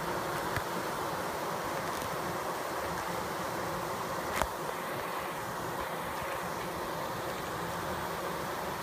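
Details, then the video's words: Honeybees fanning, recorded close up: a steady, dense buzzing hum holds without a break throughout, with a single brief click just past the midpoint. "Close up HD bees fanning"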